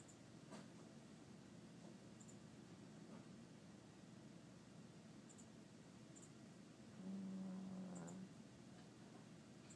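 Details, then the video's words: Minnie, a small pet dog, asleep and snoring: after a long quiet stretch of steady low background hum, one drawn-out, low, rumbling snore lasting just over a second comes near the end. "Minnie snores a lot"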